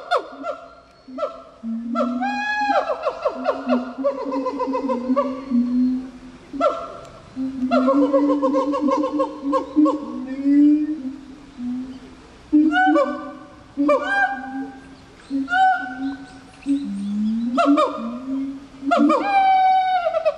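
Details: Gibbons at Japan Monkey Center, a Japanese zoo, on International Gibbon Day, October 24: loud hooting notes in bursts, some swooping upward into rising whoops, then steady tones, repeated in phrases every few seconds with short pauses.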